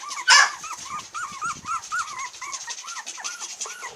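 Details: Long-haired Miniature Dachshund puppies, 22 days old, recorded on July 22 in Kochi, Japan; one is a cream female born 2016-06-30. They make a steady stream of short arched squeaks and whines, several per second, with one louder yelp near the start.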